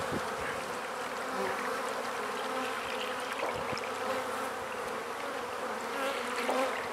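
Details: Many honey bees hum steadily at freshly installed beehives as they are fed, a smooth, unbroken buzz with occasional soft taps from hive work.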